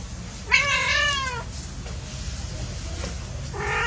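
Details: Playing pet cats: one drawn-out, harmonic meow that rises and then falls over about a second, followed later by the start of a second meow. Constant low rumble in the background.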